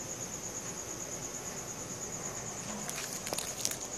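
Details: At night, crickets keep up an unbroken, high, rapidly pulsed trill, filmed on a Samsung Galaxy S4; soft rustling and brief clicking noises join near the end.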